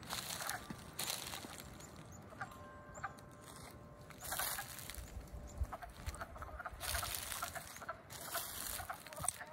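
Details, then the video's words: Freshly emerged wood frogs calling in early spring, 7 April 2020, Middlesex, Vermont; hoarse, hen-like clucks repeat in irregular bursts over a constant chorus. "The Wood Frogs Wake Up at Frog Moon Hollow 2020!"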